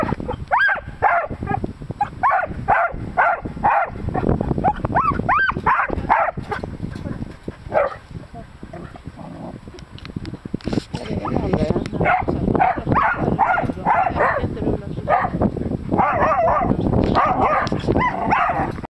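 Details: Irish Terriers, three of them, chasing tiny hedgehog babies, bark in a steady, frantic run of short repeated barks. Harsh grunting, scuffling sounds mix in, a quieter stretch midway, then dense yapping resumes.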